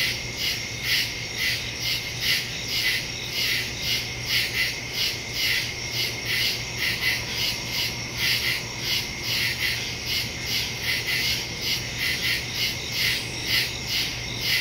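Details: Crickets chirping at night in the woods, recorded on September 2 with a phone and stereo microphone; dense overlapping high pulses repeating about twice per second, forming a steady throbbing insect chorus with a low constant hum beneath.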